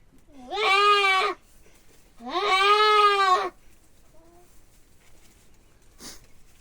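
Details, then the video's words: Billy goat crying out while being castrated: two loud, strained, quavering bleats, each about a second long, separated by a short pause, followed by a brief faint sound and quiet. "बोकालाई खसी बनाउने तरीका"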